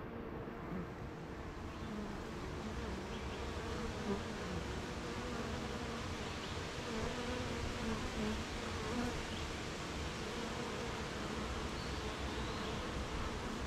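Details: Honey bees at a beehive on a rainy morning, with gardens, farms and fields nearby: a steady, dense hum of many bees, layered drones around a low pitch, with faint brief higher buzzes of individual bees passing.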